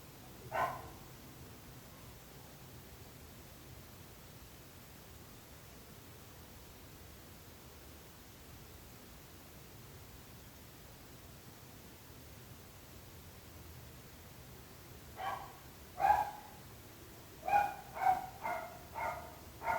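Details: Barking dogs, presented as a nuisance to neighbours: one sharp bark at the start, a long quiet stretch, then a cluster of about six barks in quick succession near the end.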